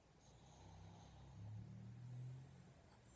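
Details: Sleeping dog snoring: low rumbling drone with a rough buzzy texture, swelling louder in the middle then easing off, steady and continuous throughout.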